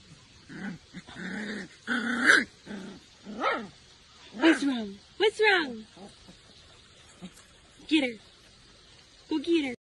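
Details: Siberian husky puppy giving short, high whiny yelps and whimpers in separate bursts, some rising then falling, spaced over ten seconds, with human voices between them.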